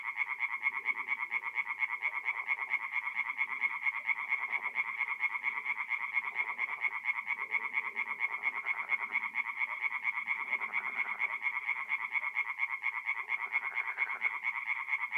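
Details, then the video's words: Fifteen seconds of tree frogs singing at night in a north-east Italian forest pond in mid-April: a relentless, regular wall of rapid rasping pulses with intermittent low, soft croaking beneath. "relaxing forest pond by night with singing tree frogs"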